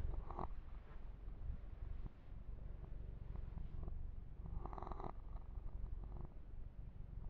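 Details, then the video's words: Pet kitten, a young male, purring under massage and fur grooming: an unbroken low rumble, with brief rasping strokes of hands through fur near the start and again around five seconds. "ASMR 1 Hour Kitten Massage - Perfect Sleep Helper Ear to Ear Purring"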